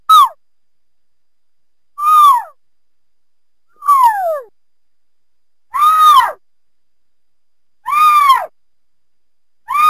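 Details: Mountain lion calling with a series of descending, whistle-like chirps with bright overtones, about one every two seconds, clean with no other sounds.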